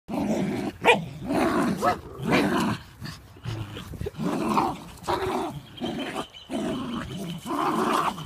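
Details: Terriers, a Fox Terrier and a Scottish Terrier facing each other, growling in throaty low bursts that rise and fall roughly every second, with brief sharper yelps between the rumbling phrases.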